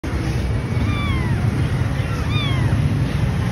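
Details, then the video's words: Cat giving two descending, harmonic meows about a second and a half apart, each sliding down in pitch, over a loud steady low engine-like rumble. "Fancy Cat"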